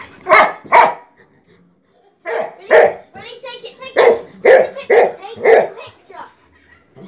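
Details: Dog barking: two sharp barks, a short pause, then a run of about six loud, harsh barks roughly half a second apart, with faint human voices at the edges.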